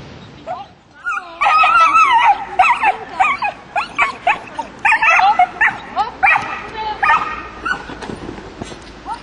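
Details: Border collie during agility training, giving rapid, excited, high-pitched barks and yips about three per second in irregular bursts, with some sweeping whine-like cries between them and a brief human voice at the start.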